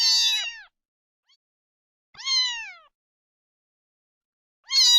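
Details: Three separate meows from a domestic cat, each short and descending, the middle one slightly longer and drawn out, with quiet pauses between; sound used to attract cats.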